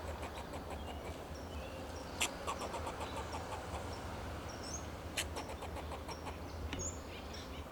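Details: Fox squirrel on a Monterey pine in Del Monte Forest, California, giving alarm calls to protect itself and its territory: rapid trains of dry, clicking chucks with two sharp louder barks, thin bird whistles overhead and a steady low traffic hum.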